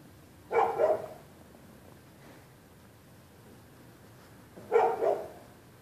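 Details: At night, neighborhood dogs bark at people walking the public sidewalk, February 2, 2013. Two short, rough double barks, about four seconds apart, with quiet between them.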